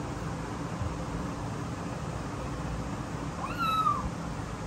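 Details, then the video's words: Frightened newborn kittens, born 15 September 2022; a single thin, high meow sliding downward near the end, over a steady background hiss. "Frightened New Born Kittens | 4K HDR | Scared Kitten"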